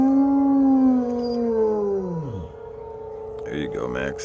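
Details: Great Pyrenees letting out a deep howl on the first Tuesday of the month: a low, sustained note that bends sharply downward and trails off, then brief yelping sounds near the end.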